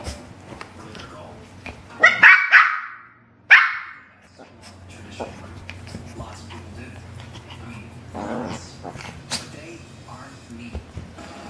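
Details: Playful dog during couch roughhousing, hair pulling between Bella and Lilly indoors; a quick burst of three barks, then one more after a short pause, with human voices and rustling throughout.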